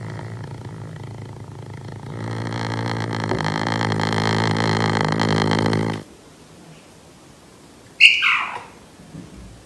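A caracal's low, buzzy rumble with a throaty rattle runs for about four seconds and stops abruptly. After a short pause comes a single sudden hiss with a falling, strained edge, heard indoors.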